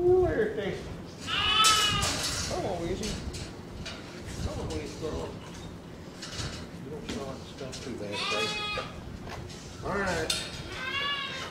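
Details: Angora goats on shearing day give several wavering, harmonic-rich bleats, two close together near the end, while people talk and handle the animals over steady background noise.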